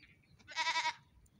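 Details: Young goat kids on a morning run; one short wavering bleat lasting about half a second, bright and pulsed, otherwise quiet background.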